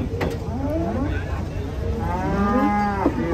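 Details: A huge sacrificial cow coming down off a truck gives a short rising moo, then a long, steady, low moo, with background voices and a low rumble.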